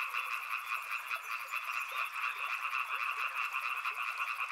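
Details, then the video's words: Frogs near a river croaking in a thick overlapping chorus, mid-pitched and pulsing, accompanied throughout by a rapid, regularly pulsed high-pitched trill. "Frog Sounds | Soothing sounds of river and frogs"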